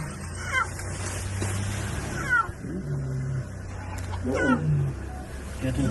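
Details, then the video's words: A lion cub crying for its mother: three high, wavering, falling mewing cries spaced about two seconds apart, over a low steady hum, with a person speaking and background music. "Lion Cub Crying for his mom"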